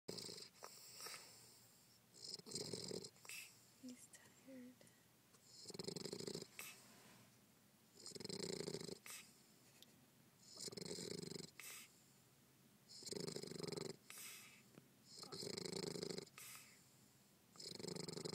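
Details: Bentley, a bulldog, asleep and snoring: rough, noisy breaths recur roughly every two to three seconds in long rasping bursts, each followed by a quieter pause, with faint low background hum between them.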